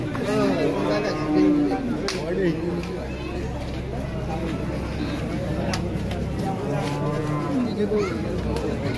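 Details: Cattle for sale at a 2024 Qurbani cattle market: two separate deep, droning moos, one early and one near the end, rise over constant crowd murmur, people talking and occasional knocks.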